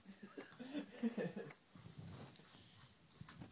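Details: A very tired boxer dog snoring on Christmas day indoors: one rough, wheezy, nasal snore in the first second and a half, followed by softer, quieter breathing.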